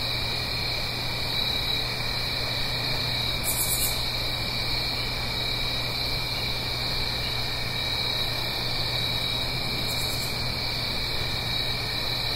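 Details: Autumn night chorus of crickets in the Blue Ridge Mountains near a stream, recorded in stereo: continuous high-pitched trills layered together, never pausing, over a broad soft hiss and a low steady drone.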